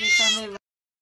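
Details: Domestic cat giving a single short, bright meow of about half a second, clear and rich in tone, with silence after.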